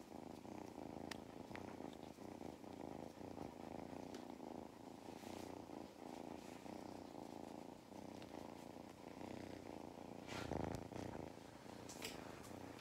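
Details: Purring cat named Mustard, a farm cat in County Kilkenny, Ireland, who loves belly rubs; continuous deep rattling purr for the whole stretch, with a few brief rustling and handling noises.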